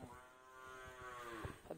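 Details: Fourteen-month-old male Hallikar calf lowing: one steady, drawn-out moo with rich even harmonics lasting over a second, dipping slightly at the end, with a soft knock afterwards.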